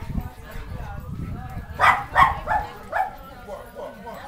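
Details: Schipperke at the LA Schipperke Party on August 7, where 24 dogs gathered, filmed on a FlipVideo; a few sharp barks about every half second, then softer yips fading out, with people talking in the background.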